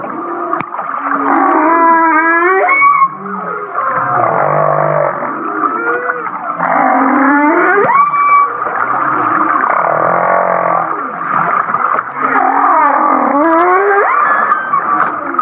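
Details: Humpback whale off Kihei, Maui, singing its so-called laughing song: bursts of rapid upswept chuckling whoops that climb in steps, separated by low buzzing moans, repeated about every five seconds through a steady rich hum.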